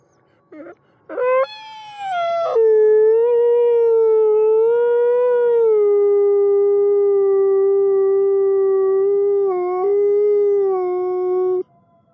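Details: Wolf howling as a means of communication: short yelps, then a sharp rising cry that settles into a long, steady, mournful tone lasting about nine seconds, with a slight dip and waver near the end.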